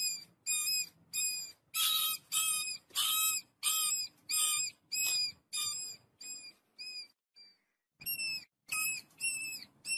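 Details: A family of rats eating wheat gives high, thin squeaks in short bursts, each with bright overtones, about one or two per second.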